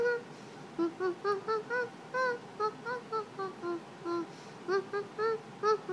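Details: Apollo, a dog, whining indoors in a quick series of short, high yelps and whimpers, about two each second, irregular in pitch.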